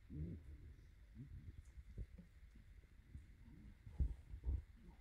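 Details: Twelve-day-old Shiba Inu puppies playing at a breeder in the Netherlands give soft, low grunts and brief squeaky whimpers. Rustling, bumping movement and a faint steady hum fill the background.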